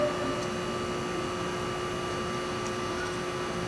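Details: Steady mechanical hum with faint tonal whines and broadband hiss; no animal voice is heard.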